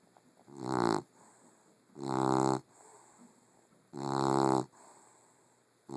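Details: Loud snoring from a sleeping female puggle. Three long, rough, buzzing snores come about two seconds apart, each swelling and then cutting off, with a faint steady hum between them.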